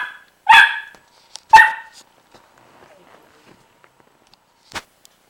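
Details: Pet dog barking at a young pitbull puppy indoors, two loud, harsh barks about a second apart, followed by quiet rustling and a short click-like burst.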